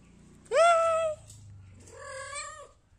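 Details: A happy pet kitten gives two meows indoors: the first loud, clear and slightly rising, lasting about half a second, then a softer, longer, level meow after a short pause, with a low hum underneath.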